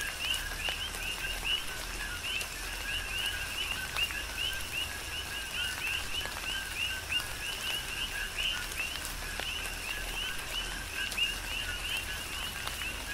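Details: Many coqui frogs calling together on Hawaii's Big Island in tropical rain, giving quick, bright, upward-sliding chirps in a steady overlapping rhythm, set against even rain noise and sharp drip sounds.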